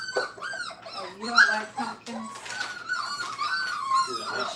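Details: Five-week-old Brittany puppies learning crate training indoors, giving high, thin whines that bend up and down, some overlapping, with a human voice mixed in early on.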